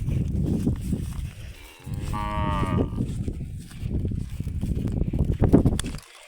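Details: Water buffalo being brought into a pen; a single low, harmonic moo of about a second rises above heavy rumbling, thumping and rustling handling noise.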